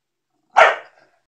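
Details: A pregnant female English Bulldog on her 55th day of pregnancy gives a single short, hoarse bark that fades quickly.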